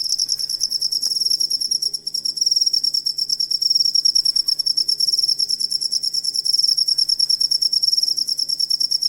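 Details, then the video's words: Cricket, jangkrik, played as a tutor sound for training songbirds: steady, shrill chirping in rapid pulses, roughly three per second, with a brief dip in loudness near two seconds and no other sounds. "Asli Ampuh Suara Jangkrik Buat Masteran Burung Kicau"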